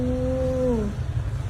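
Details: A low, steady, drawn-out meow lasting nearly a second and sliding downward at the end comes from Charlie, a pet cat who is unhappy in the morning. A constant low rumble runs underneath.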